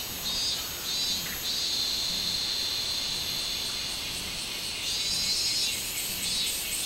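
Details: Minmin cicada, 24 July 2016: a few short pulsed bursts open into a long, sustained high whine, then gentle throbbing swells near the end.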